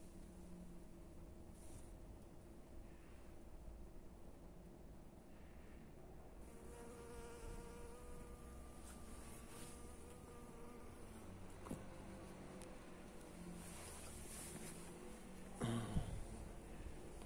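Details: Honey bee working Japanese anemone flowers for pollen on a windy day in the Netherlands; a soft, wavering drone with stacked harmonic tones rises through the middle seconds, fading in and out over constant wind rumble.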